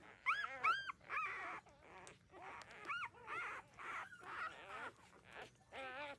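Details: Nursing newborn puppies, 13 days old, at their mother's teats; high squeaky yelps and wobbling whines in irregular bursts with quiet pauses between, soft suckling noises underneath.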